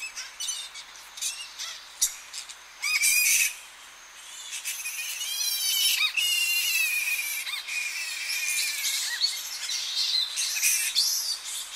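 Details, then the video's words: Early morning at a Tonga flying fox colony as bats return to roost: nonstop harsh, high, wavering squawks and screeches overlap into a shrill din, with a few louder bursts, recorded at medium to close distance. "Tonga Flying Fox / Early Morning. MD - CU Calls From Colony And Bats Returning To Roost"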